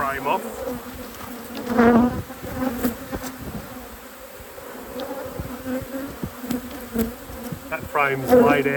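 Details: Honey bees humming at a hive during a beekeeping inspection: a mostly even, soft drone with a few brief louder swoops of buzzing bees flying by near the start and end.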